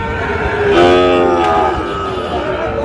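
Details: Sahiwal bull calves at a cattle market in Narsingdi, Bangladesh, being bought by a farmer; one drawn-out, harmonic moo rising then falling, lasting about a second, over a steady murmur of crowd and market noise.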